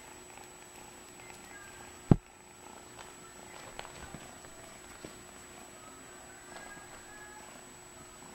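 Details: Friendly male red tabby and white van Persian kitten, four months old, said to purr non-stop; a low, steady rumbling purr runs throughout, broken by one sharp click near two seconds.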